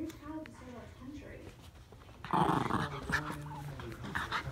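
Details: Two Norfolk Terriers, Ernie and Hank, wrestling in play: soft, low whining murmurs give way midway to louder, rough, noisy growling with short snarling bursts.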